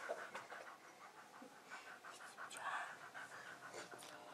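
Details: Staffordshire Bull Terrier named Max, a pet dog excited and running wildly, breathes in quick rhythmic pants, a steady train of breathy huffs without barking, fairly soft and close.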